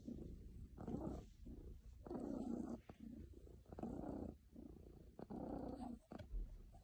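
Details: Steady low purring from a contented, very happy pet cat, a grainy rumble rising and ebbing in even cycles of roughly one and a half seconds, with a small click near the end.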